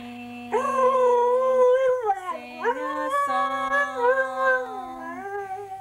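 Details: Australian Shepherd x Border Collie cross howling along with its owner in a sung duet: long wavering drawn-out howls that slide up and down, layered over a steadier, lower human singing voice.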